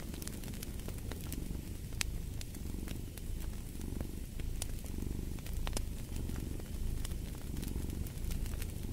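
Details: Domestic cat purring beside a crackling fireplace, a steady low rumble pulsing in slow breaths roughly every second, with sharp fire crackles and pops scattered throughout.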